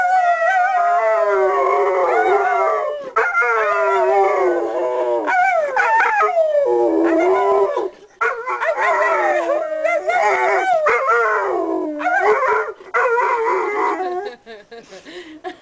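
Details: Pet dog singing along with its owner, a long run of sustained wavering howls, sliding up and down in pitch, broken by brief pauses and repeated over about fifteen seconds, with a person's voice joining in.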